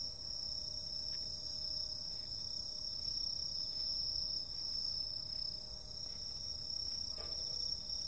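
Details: Summer night insect chorus: constant piercing high trill held without pause, overlaid by a fainter, even higher hiss-like buzz, with occasional soft clicks and a brief knock near the end.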